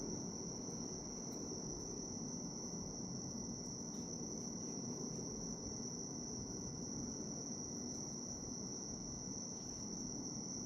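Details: Bell cricket singing as a calming nature ambience: a steady high-pitched ringing tone held without a break, with faint clicks and a low background rumble.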